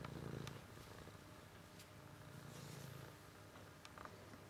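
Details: A cat purring, heard as a soft, low rumble that pulses steadily at about four beats a second, quiet and close, with scattered faint clicks and ticks in the background.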